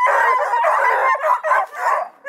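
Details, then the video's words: A pack of registered coonhounds near Kingston, Ontario, Canada, including Blueticks, Redbones and Black and tans trained to run game, bay in choppy bursts that break off and restart several times. "Awesome hound crew want to be heard!"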